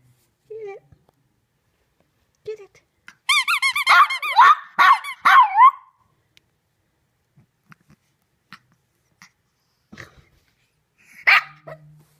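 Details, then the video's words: Three-month-old female Shih Tzu puppy howling at a squeaky toy: a few short, soft whines, then about two and a half seconds of wavering, quavering howls in rapid pulses, followed by quiet ticks and a sharp squeak near the end. "Shih Tzu Puppy Howls Like a Wolf"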